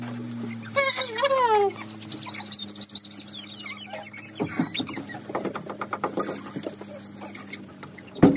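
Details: German Shorthaired Pointer puppy whining during a nail trim: a steady low hum, then a thin falling whine with a brief squeak near the start, followed by soft clicks and patter as the trimming goes on.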